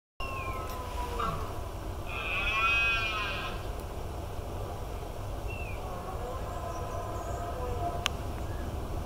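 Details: Red deer roaring during the rut at dawn: one drawn-out, harmonic-rich bellow swells and fades over about a second and a half, with brief bird chirps before and after and a steady low rumble of background noise.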